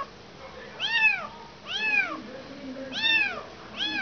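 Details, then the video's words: Motherless kitten crying: loud, clear arched meows with bright harmonics, four calls in quick succession, each rising and dropping in pitch, over a quiet low hum. "Anak kucing kehilangan ibu."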